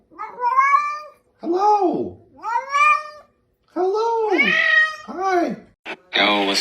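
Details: Domestic cat giving a run of about five drawn-out meows, each rising then falling in pitch with rich overtones, separated by short pauses and ending in a brief harsher squeal.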